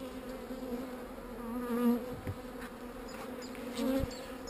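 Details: Calm honey bees at an open hive while a beekeeper clears queen cells off a frame. A steady low hum holds two even tones throughout, swelling briefly near two and four seconds. Faint clicks are audible.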